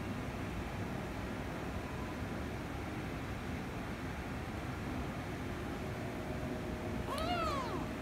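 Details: Domestic kittens, a ginger kitten and a rescue kitten, during a squabble that ends in kissing and licking; a single arched, rising-then-falling meow near the end over steady low rumbling background noise.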